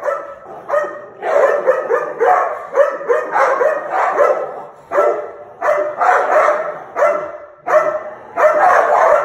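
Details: American Pit Bull Terrier snarling on September 27, 2019: harsh, raspy bursts in quick uneven clusters, with brief pauses between groups, throughout.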